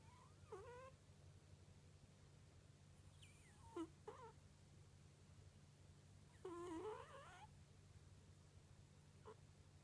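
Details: Kunugi, a pet cat, snoring while asleep, giving "pu~puu" sounds: short nasal whistling squeaks that wobble and slide, in irregular bursts a few seconds apart over a quiet low hum.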